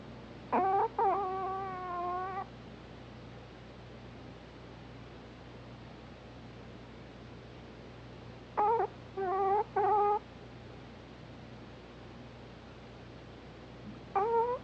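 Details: Hana, a Pomeranian dog, snoring while asleep: squeaky, whistle-like nasal tones in three bursts. A long wavering one comes first, then several short ones close together, then a final brief squeak. Faint steady background hum.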